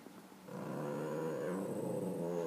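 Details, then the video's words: Zooey, a pet dog that searches for cats all day, gives a sustained, harmonic, moaning growl. It starts quietly and swells after half a second, holding a low steady tone with a wavering overlay to the end. "Zooey making funny noises"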